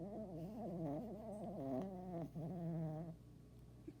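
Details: Snoring from a tired dog: a quavering, throaty drone of about three seconds, briefly broken near the middle, then quiet breathing.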